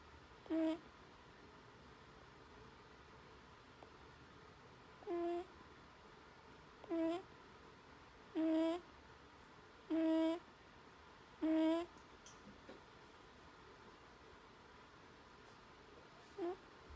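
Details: Lulu, a pet Netherland Dwarf rabbit, snores in her sleep. Brief squeaky, nasal puffs come in a fairly even run roughly every one and a half seconds, then a pause before a last soft snort, against a quiet indoor background.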